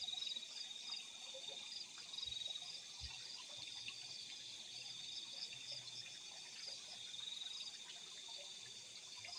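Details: Crickets calling at night in fields: a dense, unbroken chorus of high, shrill ringing trills layered at several pitches, with scattered faint lower chirps and clicks beneath.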